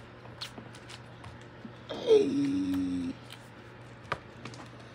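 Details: American Staffordshire Terrier puppy indoors in a small room gives a single whine lasting about a second, starting with a brief higher yelp and settling into a steady, lower drawn-out tone; otherwise quiet apart from faint clicks and taps.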